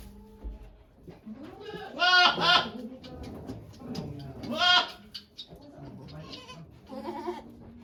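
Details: Goat Okayu delivering twin kids at Yoshigake goat farm, Japan, 3 May 2023, with many volunteers present; two strong, harsh, trembling bleats about two seconds apart, softer murmuring voices and faint background sounds between them.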